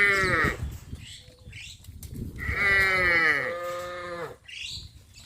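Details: Tame village cattle from a traditional rural herd, heading out in the morning to green grass pasture, give two long, strongly harmonic, fairly high lowing calls, the first short and the second drawn out, with quieter rustling between them.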